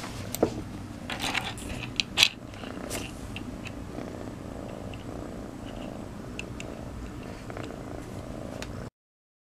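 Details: Piper, a new kitten, purring loudly like a motorboat: a steady low rumbling purr runs throughout, with a few sharp clicks and rustles near the start, then it stops abruptly just before the end.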